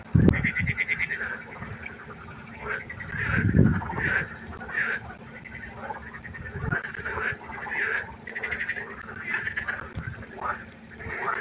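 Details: Pond frogs calling at night in a dense chorus of rattling, pulsed croaks, some repeated in quick series, with a few low thumping knocks and a steady background hum.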